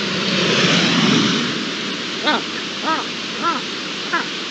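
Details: On 13 January 2023, an Iberian lynx gives four short, arched, nasal meow-like calls about half a second apart, after the fading roar of a passing jet aircraft likened to an F18.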